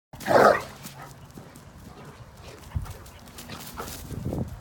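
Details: Great Dane, a young female, during energetic outdoor zoomies on dirt alongside a five-month-old companion: one short, loud, forceful bark near the start, then quieter rustling and scattered thuds of movement.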